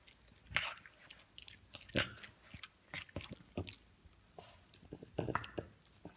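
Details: A female French Bulldog makes wet crunching, chomping and snuffling noises while gnawing on a specially designed dog toothbrush.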